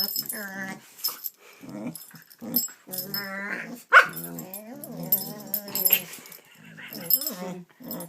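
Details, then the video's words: Gidget, a pet dog making silly sounds indoors, possibly while play-fighting: a run of moaning, whining grumbles with wavering pitch, broken by a sharp click near the middle, with a person speaking softly now and then. "The silly sounds of Gidget"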